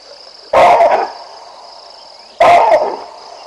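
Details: Along the Olifants River in the African bush, baboons bark at a lion strolling past: two loud, abrupt, rough barks about two seconds apart, each half a second long, with a constant high insect drone behind.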